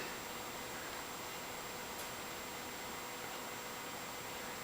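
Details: Steady fan-like hiss fills a small indoor room, with no animal voice heard.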